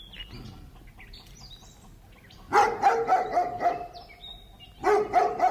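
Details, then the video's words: Large dog barking in two bursts of several quick, loud, gruff barks each, after a quiet opening of bird chirps and whistles; birds keep chirping faintly through the barking. "DOG LARGE BARKING"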